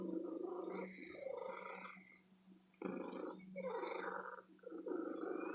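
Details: Contented female house cat in an antique shop purring. The rough, throbbing rumble comes in long surges, with a quieter gap near the middle before the loud purr resumes.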